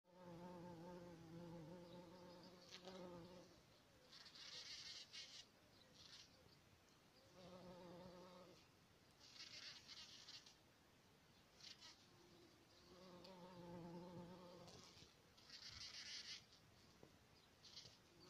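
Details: In spring, near poppies, a bumblebee drones in low, rich buzzing bursts that swell and fade every few seconds.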